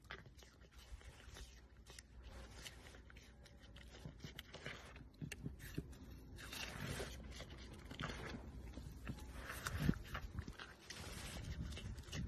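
A red panda makes wet smacking and scraping mouth sounds at close range.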